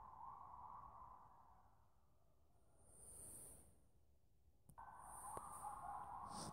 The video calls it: Coyotes singing